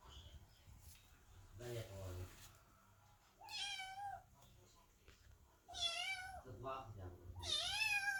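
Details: Kittens and cats wait by a door, meowing loudly while Chloe the cat gives birth; three strong, wavering meows spaced a couple of seconds apart, with a short human voice early on.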